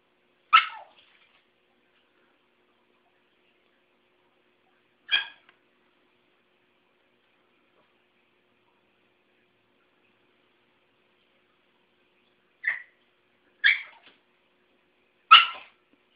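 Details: Pet Chihuahua barking at a broom during indoor sweeping, a habit that has become a game; five short, sharp barks at irregular intervals, two isolated early on and three closer together near the end, separated by long silences.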